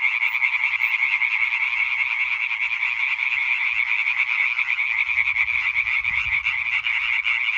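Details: Numerous European tree frogs croaking together on 20 May 2023, a thick, even chorus of rapid rasping pulses repeated without pause; faint low-pitched noise rises briefly near the end.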